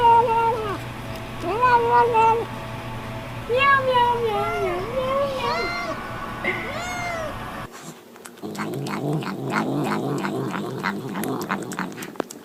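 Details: Cat murmuring while eating, in a compilation of cats saying "nom nom nom": rapid strings of short arched mews and chirps, then chewing clicks and crunching after a cut.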